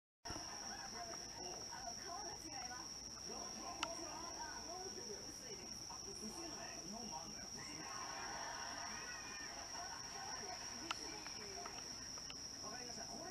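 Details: Bell crickets and other crickets singing in September 2023 while several house cats doze; a steady, unbroken high ringing tone runs throughout, with soft low murmuring and occasional faint clicks beneath.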